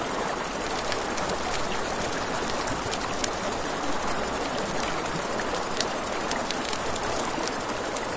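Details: Crickets at night beside a river, a steady very high, rapidly pulsing trill running unbroken throughout, over a dense wash of crackling campfire and flowing water with scattered sharp pops.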